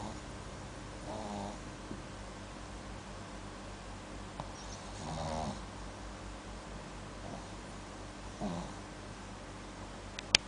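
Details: Sleeping dog snoring indoors: rough, breathy snore bursts roughly every three to four seconds, each a short rasping swell over a steady low hiss of room noise, with a faint click near the end.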